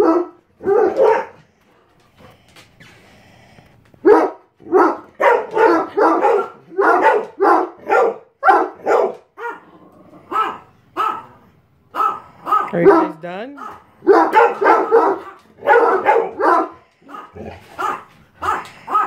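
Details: Irish Wolfhound and Chocolate Lab at morning time, recorded November 20, 2016; deep, rough barks come in dense bursts, several per second, with short pauses and a brief whine near the middle.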